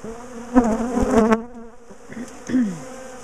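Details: A large, defensive bee colony being dismantled, split and moved from a top bar hive in a garden; a steady low hum of many bees with sharp knocks and handling noises over it, and a brief rising buzz near the end.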